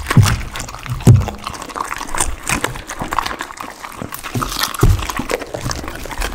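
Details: Close indoor ASMR capture of a pit bull eating raw chicken and duck with cauliflower: moist slurping chews and a few heavier crunches at about one-second intervals.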